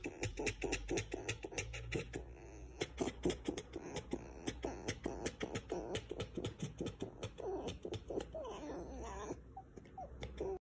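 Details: A pet red fox kit (Vulpes vulpes) chatters in fast, clicking bursts, breaking into a few whiny squeals near the end.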